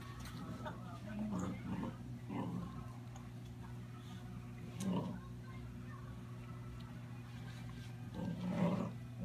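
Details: Two basset hounds playing: Bella, two months old, and Lilly, a year and a half. Rough low growls come in short bursts about every two to three seconds over a steady low hum, with faint voices in the background.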